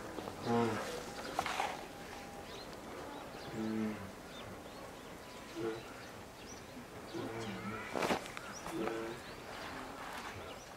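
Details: At Maruyama Zoo in Sapporo on 19 January 2017, a two-year-old female polar bear named Lila keeps crying to nurse from her mother Lara. Softer, buzzy harmonic moans recur at intervals amid background noise and a few sharp knocks.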